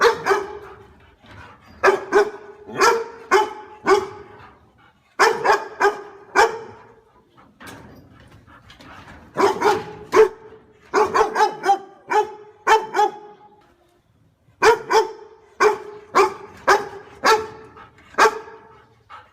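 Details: A dog barking at a stranger: bursts of sharp, repeated barks in quick runs, separated by short pauses, with faint music in the background.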